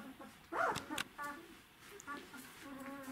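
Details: Czechoslovakian Wolfdog puppies, 12 days old, litter of Orizon and Rahan at a breeding kennel, 3 December 2020: a sharp squeaky whine near the half-second, then softer tonal whimpers repeating over quieter room noise.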